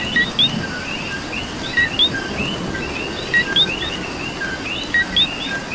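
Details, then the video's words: Coquis in the rain, Puerto Rico: a clear two-note call, a short low note followed by a higher upswept one, repeats about every 1.6 seconds amid a background of many softer chirping frogs and pattering rain. "Coqui and Rain"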